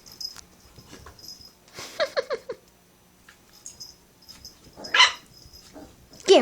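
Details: Adult female Chihuahua, Pepita, playing indoors with a new Beagle puppy, Noshi: a run of short yappy growls and whines around two seconds, later a sharp bark and a final yelp, with a person urging them on.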